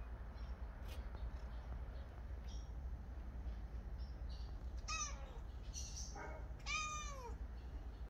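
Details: Cat calling indoors: two short descending meows, each sliding downward, separated by about two seconds over a steady low hum, with a faint chirp between them.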